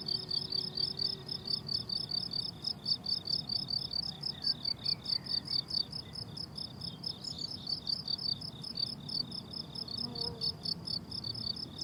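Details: Summer meadow crickets in bloom-time sing continuous high, rapid pulsed trills, evenly stacked and rhythmic, with a few faint brief higher chirps from other insects and a quiet low background murmur.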